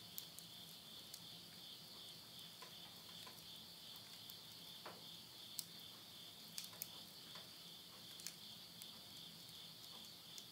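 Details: A steady shrill insect chorus fills a September 2020 midnight in rural Yurihama, Tottori, Japan, late summer, while burning wood in a stove adds frequent crisp crackles and snaps.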